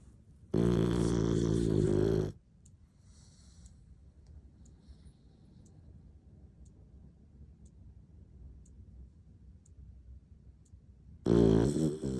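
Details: Sleeping English bulldog snoring: a loud, rasping, buzzy snore lasting nearly two seconds, then about nine seconds of quiet breathing with faint ticks, before another heavy snore begins at the end.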